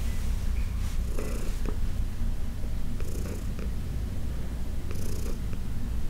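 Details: Heidi the senior rescue cat purrs strongly under massage, a thick continuous rumble with breath pulses, overlaid by short rustling strokes of fabric or fur at intervals.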